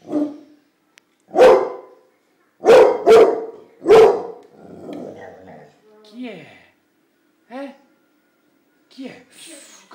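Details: Pit Bull puppy barking at a bunch of flowers: four abrupt barks close together, then a low growling rumble, followed by people laughing and talking in the background.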